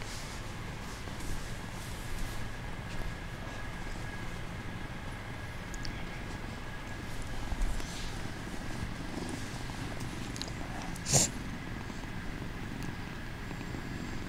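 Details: A kitten pretending to be asleep purrs in a steady, low rumble that runs unbroken through the whole recording, with one brief sharp click near the end.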